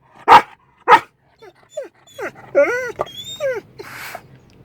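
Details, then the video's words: Pet Belgian Malinois at home, talking to its owner the day before Thanksgiving. It gives two sharp barks, then a string of curving, yodel-like whines and arched moaning syllables, ending in a breathy huff. "my dog make's funny noises he talks to me"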